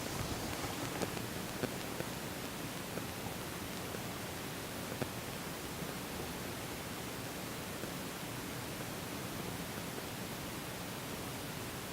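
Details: Steady broadband hiss like static, with a few faint clicks and no clear animal sound.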